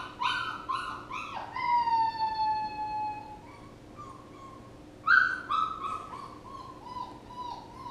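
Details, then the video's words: Puppy whining in a series of high, tonal cries, several short rising whimpers followed by a long drawn-out falling whine, then a pause and more short whimpers; faint steady hum in the background. "A puppy whining"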